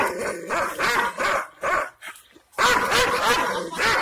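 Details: Angry Kangal shepherd dogs in Aksaray, Anatolia, barking at unfamiliar visitors to guard their owner's property: rough, loud barks in several bursts, with a short quiet gap before a longer dense run of barking.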